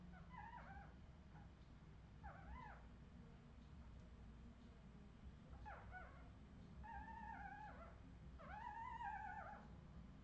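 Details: Redwing Australian Terrier puppies from 2018 whining in high, arched tonal cries, each bending up then down, in a loose series of about five calls over steady low background hum.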